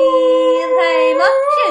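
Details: Dog named Molly singing her heart out: one loud, steady, tonal howl held level for over a second, then wavering and bending upward at the end, with a person's voice following.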